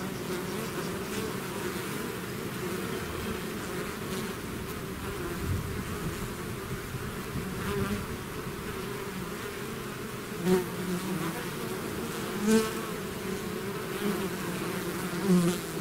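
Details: Honeybee swarm pouring out of its hive, a dense steady drone of many wings with layered hum bands, occasional louder passes of single bees near the microphone around ten and twelve seconds.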